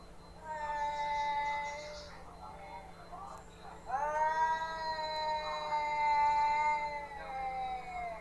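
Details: Pet cats in a fight, two long sustained yowls, the first steady then fading, the second starting abruptly near four seconds and holding a wavering, moaning pitch for several seconds before tapering off.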